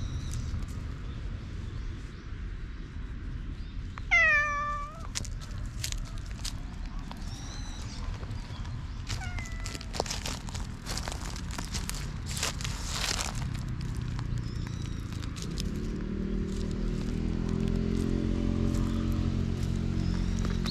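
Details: Tickled black cat, possibly a stray, recorded with a GoPro HERO8, gives a single short, bright meow early on; afterwards only scattered faint squeaks and clicks, with a low mechanical rumble swelling toward the end.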